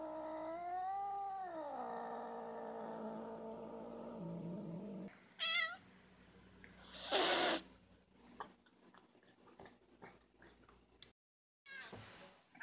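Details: Fuzzy black domestic cat, very vocal, opening with a long bending yowl that dips and fades into a low growl, followed by a short chirp-like meow, a sharp hiss burst and scattered clicks and rustles.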